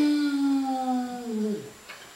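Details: Otterhounds Ozzy, a 3-year-old male with a soft bay, and his half sister Phoebe, a 1-year-old female, singing together at the top of the stairs in November 2013; one long, rich harmonic howl holds steady, then slides downward before fading.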